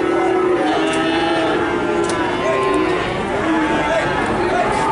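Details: Cattle calves in Nganjuk, Indonesia: overlapping low moos with strong overtones, some short and some held, mixed with background chatter and general noise.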